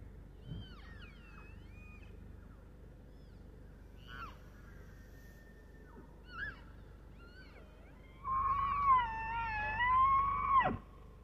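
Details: Bull elk in snowy Estes Park, Colorado: faint scattered squeals and chirps at first, then a loud whistled bugle begins near the end, wavering and held before a sharp drop.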